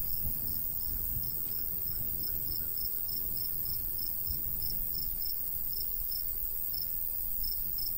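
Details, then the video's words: Summertime countryside crickets by a golden wheat field: rapid high chirps pulsing evenly, roughly several per second, above soft breeze noise. "cricket sounds"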